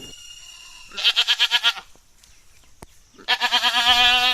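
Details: Jamunapari doe that has kidded twice, now not pregnant, kept at Kadachanenthal near Madurai and offered for sale. Two loud, wavering bleats are separated by a short quiet gap. The first is choppy and pulsed; the second is longer and more sustained.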